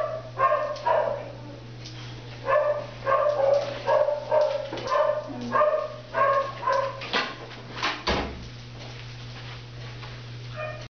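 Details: Black and Tan Coonhound named Baby, a shelter dog available for adoption, indoors: a run of loud barks and baying yelps, roughly two per second in irregular bursts, with a steady electrical hum underneath.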